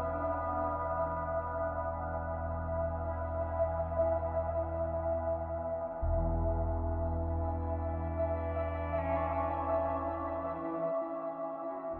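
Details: Soft ambient synthesizer music with sustained low drones and layered tones, with no animal voices.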